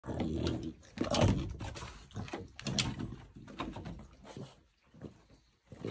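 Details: French Bulldog defending his house from uninvited guests, indoors in a small room: rough, low grunting growls in uneven bursts, strongest near the first second, broken by short snorting pauses.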